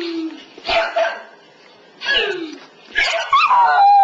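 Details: A pet West Highland White Terrier indoors, howling in response to hearing playback of earlier recorded howling, gives three short, wavering, falling yelping howls about a second apart, with a person's voice faintly mixed in.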